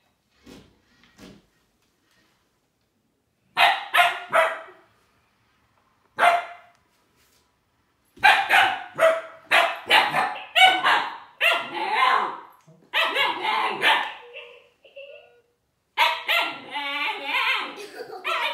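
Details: Young Siberian Husky, Juno, confronting Dash the toy robot: a few sparse yips early, then a dense run of sharp repeated barks in the second half, some with a howly, drawn-out quality.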